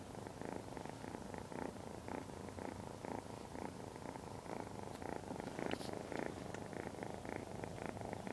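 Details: A 12-week-old Ragdoll kitten, Point Lilac Bicolor, named Lavender, newly brought home, purrs continuously in rhythmic waves roughly twice per second, with a few faint clicks partway through.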